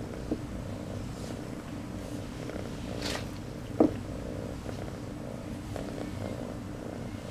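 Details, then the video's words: Piper, a new kitten, purring steadily like a motorboat, a continuous low rumble throughout with a brief sharp click near the middle. "Motorboat purr machine"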